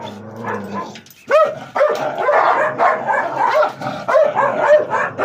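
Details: Dog from a Gultair against wolfdog face-off, a quieter murmur giving way to sudden sharp barks, then rapid barking about twice a second over a background rumble.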